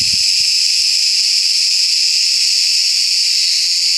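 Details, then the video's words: Large cicada (Büyük Ağustos Böceği) in summer trees, singing as the day heats up; a dense, constant high-pitched sizzle at full volume throughout, with a couple of soft low thumps early on. "Ağustos Böceği sesi - Cicada voice"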